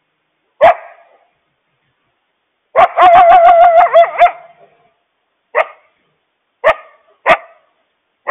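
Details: A mother coyote gives sharp barks and frantic, wavering, quavering yips, warning her family of a loose stray dog, possibly double their size.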